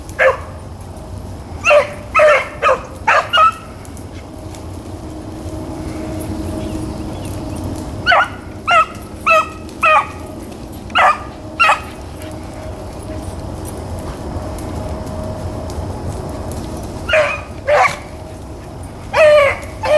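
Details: Blackcreek and bluetick hounds running rabbits, recorded 4 April 2013; loud, clipped barking bays in short clusters of three to five, with long pauses between, over a steady low rumble.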